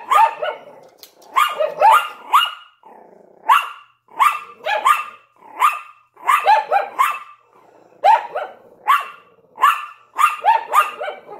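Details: ['Yorkshire Terrier with a Lhasa Apso, both barking in the window: a steady stream of bright, clipped yaps, frequently in pairs or triplets, continuing almost nonstop for over ten seconds.']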